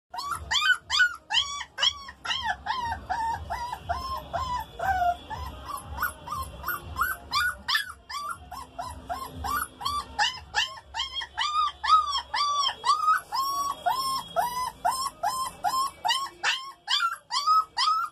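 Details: Several full black German Shepherd puppies whining and yelping together, high arched cries overlapping in a rapid, restless chorus of about two calls per second, with no pause through the whole stretch.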